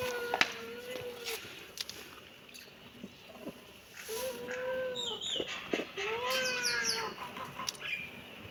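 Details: Kitten meowing: drawn-out, slightly arching tonal meows with rich harmonics, about four in a row with short gaps, some overlapping higher thin chirping cries, over a soft background hiss with a few clicks.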